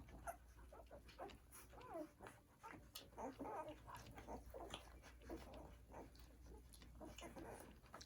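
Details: First-day-old newborn poodle puppies feeding from their mother indoors; a steady run of small squeaky whimpers and wavering high whines, some bending up and down, over rustling and suckling noises.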